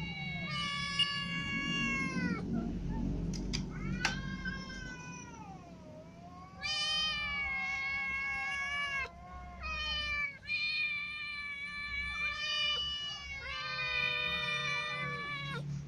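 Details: After a new white cat claws a ginger cat at its food: strained, drawn-out caterwauling with wavering, bending pitch in repeated long bursts, a few sharp clicks, and a low rumbling hum in the background.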